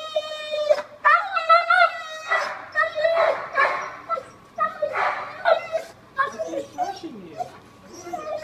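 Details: Siberian Husky unhappy about being bathed indoors: long, wavering, whining vocal sounds with strong harmonics, rising and falling in yodel-like bends, interrupted by human speech and splashy broadband noise.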